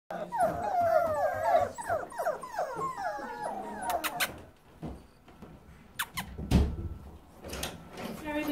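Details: Samoyed puppies seven weeks old: rapid, high, wavering whimpers and yips for about four seconds, then quieter scattered squeaks, clicks and knocks, with a person talking.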